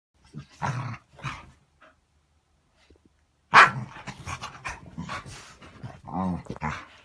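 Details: Several dogs greeting one another in the morning; short bursts of barks and growly yips, a pause of near silence, then a loud bark followed by a run of mixed barks, grumbles and a drawn-out whine.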